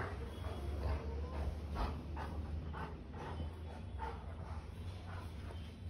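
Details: A mischievous Golden Retriever, filmed in Bangalore, gives short whining, yipping calls about once a second while waking a family member from sleep, as he does every morning, taking care not to bite.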